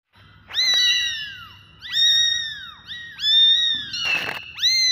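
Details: Kittens meowing: high, arched meows that rise then slide down, repeated about every second and a quarter, with a short burst of broadband noise near the end.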